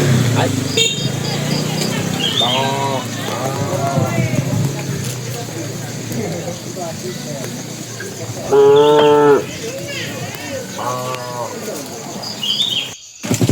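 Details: A bull among tame cattle heading to the pen calls to the cows. Several short lowing calls are followed by one louder sustained moo at the climax, with people talking and faint bird chirps in the background.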